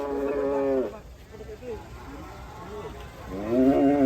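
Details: Raging cattle giving two drawn-out harmonic moos, one at the start and a louder one rising at the end, with faint voices and low murmuring in between.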